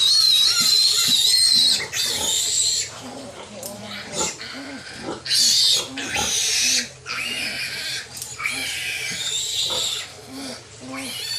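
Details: Newborn piglets from a domestic sow's litter of 13 being handled: loud, shrill, high-pitched squeals in long bursts of a second or more with short gaps, nearly continuous throughout, with soft lower grunting pulses underneath.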